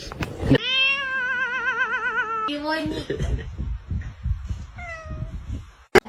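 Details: Kitten giving one long, drawn-out wavering meow lasting about two seconds, followed by a shorter falling cry, with people talking quietly indoors.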